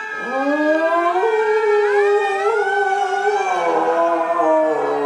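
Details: Pet dog that began howling at fire truck sirens after six years of ignoring them, a long rising and wavering tonal howl holding steady through the clip, loud and close indoors.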